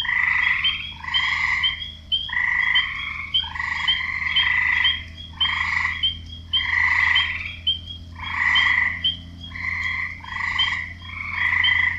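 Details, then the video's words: Male frogs croak to attract females, giving harsh, nasal bursts about half a second long, repeated back to back. "Frogs croaking and nature sounds for 1 hour"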